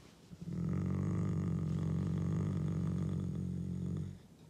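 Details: Deep rolling growl from Akela, a Canadian wolf asserting dominance, filmed 16 April on his birthday: a low, throaty pulsed rumble swells up and holds for about three and a half seconds, then drops away.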